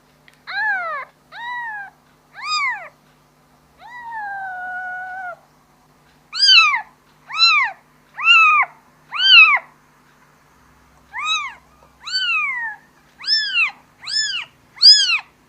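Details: Kitten calling for its mother: a run of clear high meows, each arching up then falling, some short and some drawn out, spaced roughly a second apart with brief pauses, in an otherwise quiet setting.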